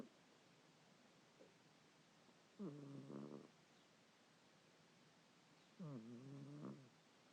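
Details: Pet cat snoring while asleep, two raspy harmonic breaths roughly three seconds apart with a faint click between, low background hiss.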